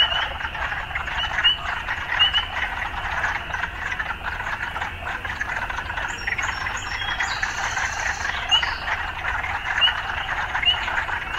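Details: Frogs in an urban soundscape keep up a constant rattling chorus, with short high chirps repeating every second or two and a burst of higher bird-like twittering near the middle.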